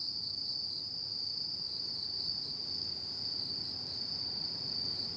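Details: Night chorus of autumn insects, one unbroken shrill trill at a constant high pitch with gentle regular pulsing and no other clear sounds.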